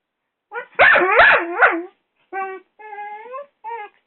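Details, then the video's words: Doberman puppy Rocco, six months old, attacking a hairdryer indoors: a tight run of loud, harsh yapping barks with bending pitch, then three shorter steady, tonal whining yelps after a brief pause. "Doberman puppy fighting the hairdryer !"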